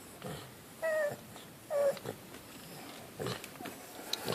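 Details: Indoors, 16-year-old miniature dachshund Buffy protests for more belly rubs with two drawn-out, steady, mid-pitched moaning whines about a second apart, then softer snuffly grumbles; a woman talks to her between sounds.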